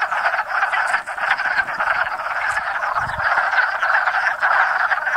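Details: Spring mating chorus of wood frogs crowding a little pond beside woods in Enosburgh; many males give hoarse, chuckling croaks that overlap into a thick, churning rattle, with a brief low thump near the middle.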